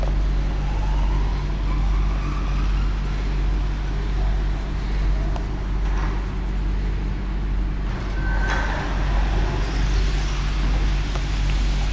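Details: Steady road traffic rumble outside a supermarket, with vehicle engines passing and faint higher clinks.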